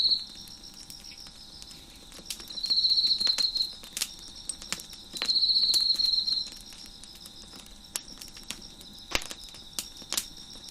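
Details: Crickets heard near a crackling fire on a deck, giving three high buzzy trills roughly every two to three seconds above a constant faint insect hum, with scattered sharp crackles and pops from the fire.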